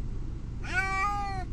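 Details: Male house cat upset on the way to the vet, one clear drawn-out meow lasting under a second, slightly rising then level, over low car engine rumble.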